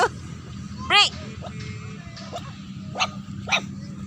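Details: Dog barking at a stranger during an early morning walk: one sharp, loud bark near the first second, then fainter short yips later, over steady background music and a person talking.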